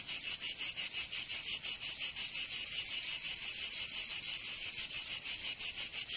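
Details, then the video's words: Cicadas singing in summer in Provence, southern France: a loud, dense, high buzzing pulsed about three times per second, steady throughout with no other sounds. "Canto Cigarra 🦗 [ Escuchar les cigarras en verano 10 H]"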